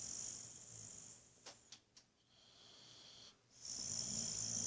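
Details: Sleeping Boxer named Buddy snoring away, one hissy wheezing exhale, a few soft clicks and a quiet breath, then another snore begins.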